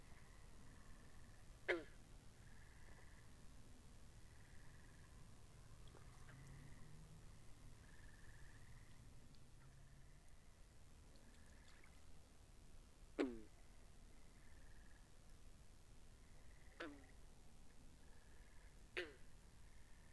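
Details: Frogs calling by a pond, recorded binaurally: four abrupt twanging calls that fall sharply in pitch, spaced irregularly several seconds apart, amid continual short buzzy trills and low background rumble.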